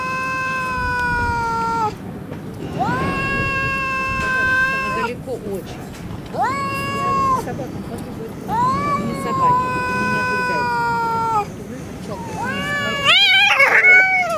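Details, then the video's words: Stray cats in a Russian city squaring off in a fight: long, sustained caterwauls rising and falling, several held notes of about two seconds each separated by short pauses, ending in a harsh screech. "fight cats, драка котов"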